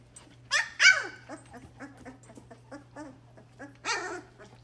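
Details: Puppies at play give sharp, high yelping whines with bright falling harmonics, a loud burst just before one second and another near four seconds, softer short yips between, over a steady low electrical hum.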